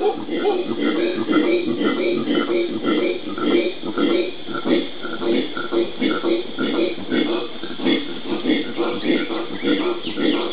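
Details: Group of howler monkeys calling in the Brazilian Pantanal on 13 January 2011, a continuous dense roaring chorus of low, throaty pulses that pulse steadily throughout without a break.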